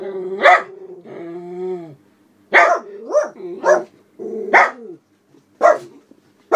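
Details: Two senior black Miniature Poodles, aged about 11 and 12, at a house window barking as someone walks past outside with another dog. Guarding display: a long drawn whining tone, then sharp harsh barks in bursts.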